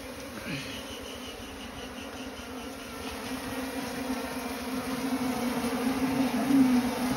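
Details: Asian honey bees (Apis cerana), the small honeybee, at a nest built inside straw: a steady low droning hum with faint overtones that swells gradually louder toward the end, with a soft background hiss.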